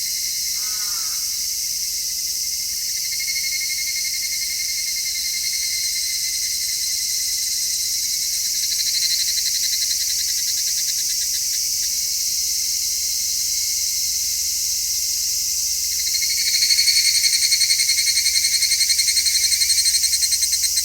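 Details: Midsummer cicada chorus captured in stereo with a shotgun microphone: dense, shrill, steady buzzing throughout, briefly swelling near the end, with one short chirp at the very start.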